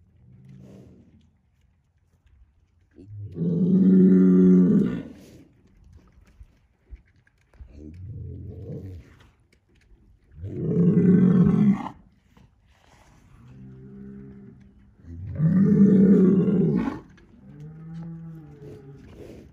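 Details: Big Angus bull vocalizing in a barnyard to let two other bulls know he is the boss; three deep, loud, roaring bellows about every six seconds, with softer lower moans between them.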